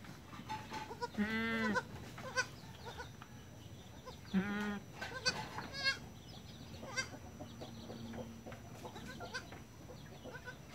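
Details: Goat kids taking their first steps, born 1 January 2019 at dusk; two short wavering bleats about three seconds apart over a noisy background with faint chirps and clicks.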